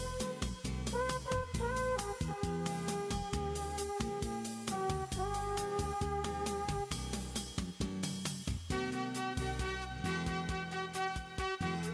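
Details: Only jazzy instrumental music with brass and drums plays, and no animal sound can be picked out.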